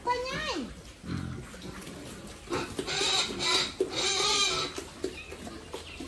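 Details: Farm-raised pigs kept by a family for sale: a single high squeal slides steeply downward, then a stretch of rough, noisy squealing bursts and scuffling sounds.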